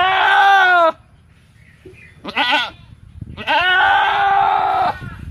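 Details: Domestic goat bleating: a loud, wavering, nasal bleat of about one second, a shorter bleat, then a long quavering bleat lasting over a second, with light background noise.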